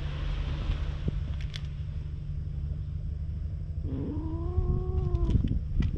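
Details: Stray cat, wary of people, on a road running toward the sea, recorded on a GoPro while a grooming brush is tried. A constant low rumble comes first, then one arched, drawn-out meow near the end.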